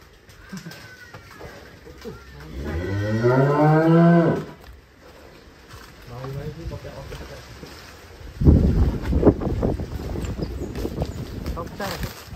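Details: Black Angus cow let out of its pen and playing in sand: one loud, drawn-out moo of about two seconds with a lowering end, then a fainter, shorter moo, followed by men talking and rustling noise.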